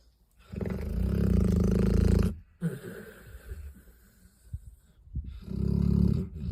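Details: Dogs asleep and snoring hard: a heavy, buzzing, low snore lasting nearly two seconds, a gap of soft snuffling breaths and small clicks, then another deep rattling snore starts.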